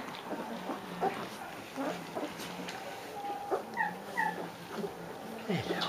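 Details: Three-week-old Leonberger puppies from Austria's litter give scattered high, thin whimpers and short rising squeaks, some sliding downward, over a low steady hum with occasional soft human voices.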